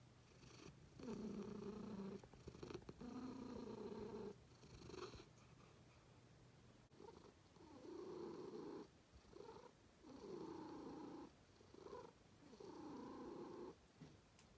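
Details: Purring cats, a rhythmic, droning rumble rising and falling in roughly one-second phases with brief gaps, as if following breaths in and out, recorded close in a quiet room.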